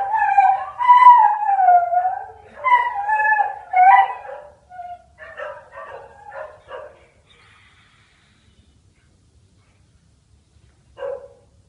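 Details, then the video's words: A Bull Terrier, just woken up, sings in long, wavering howls that slide up and down, then breaks into short yips. "BELLA - OUR SINGING BULL TERRIER"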